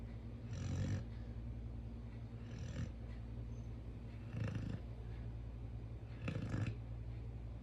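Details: A sleeping Chow Chow dog snores in deep, rumbling breaths, one soft rasping snore roughly every two seconds, four in all, over a steady low background hum.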